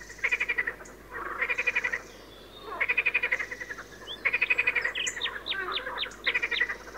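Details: Rhythmic frog croaks: a single frog gives buzzy, rattling pulse trains of under a second, separated by brief gaps, with a few faint high squeaky chirps overlapping toward the end.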